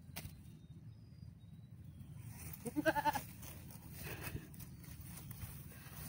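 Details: A goat flirting and giving in to a breeding buck during mating lets out a single short, quavering bleat with a rapid pulsing tremble lasting about half a second, over a steady low rumbling background.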